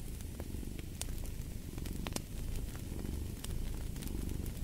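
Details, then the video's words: Soft, low purring of a cat, dipping briefly in the middle, beside a fireplace whose crisp crackles and pops stand out above the rumble. "Purring of a Cat"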